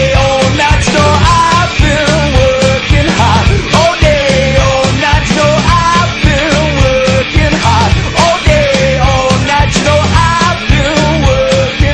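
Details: Loud, driving rock music with distorted guitars, steady drums and singing plays throughout, and no animal is heard.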